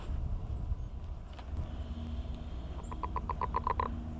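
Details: Frogs singing their mating call on the Millrace in the morning, the species in decline; a short burst of about eight rapid, evenly spaced pulsed notes arrives late, over a steady low rumble.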